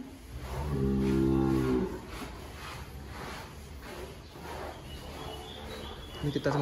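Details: Sacrificial cattle, one of 300 head in a farm pen in Nganjuk: a single deep, drawn-out moo lasting about a second, steady and harmonic, followed by quieter pen noise and a man speaking.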